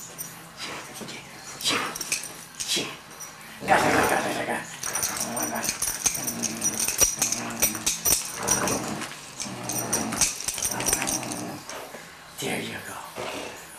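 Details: German Shorthaired Pointer and Yorkshire Terrier playing together indoors: rough, rumbling play growls and snorting huffs in uneven bursts, with scrabbling paws and a person speaking at times.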